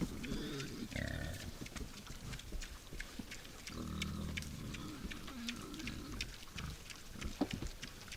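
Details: Wild boar at a forest feeding station at night, giving low, rough grunting bursts near the first, fourth and fifth seconds, over steady faint clicking and crackling in a quiet woodland setting.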